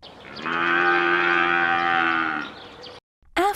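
An African buffalo gives one long, steady, droning moo of about two seconds, ending in a brief pause before a voice begins to speak.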